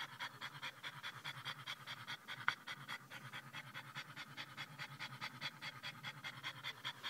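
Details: Sjefke, a French Bulldog, pants in a car after a short drive to the pet store, excited by people's attention: fast, steady, breathy panting, about two to three breaths each second, with one sharp click midway.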